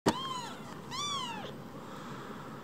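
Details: Rescued baby kittens, two of them and barely bigger than a mobile phone, give a sharp click then two high arched meows, each falling away after rising, over a quiet room hum.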